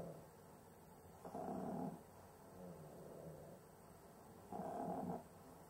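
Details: Cavalier King Charles Spaniel struggling to breathe while asleep: two loud, raspy, snore-like breaths about three seconds apart, each lasting over half a second, separated by softer, steady wheezing inhalations in a quiet room.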